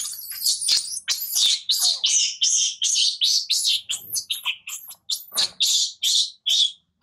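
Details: Tiny baby monkey screaming loudly as its mother weans it: continuous shrill, piercing cries, some rising and falling in pitch, coming in quick uneven bursts about every half second.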